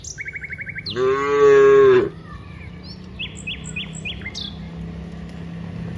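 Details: Dozens of cows walking from the rice fields to the village: one long, steady, deep moo lasting about a second, rich in harmonics. A quick burst of chirping comes before it, and short bird-like chirps and a low hum follow.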